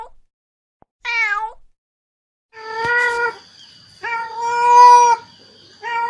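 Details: Mother cat calling for kittens, giving a short meow followed by longer, wavering meows, with a steady high whine running behind the later calls.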